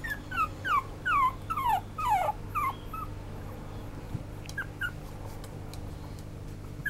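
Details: Silver male toy poodle whimpering in a series of high, falling whines, several in quick succession in the first half, then a few softer, sparser whines; steady low hum underneath.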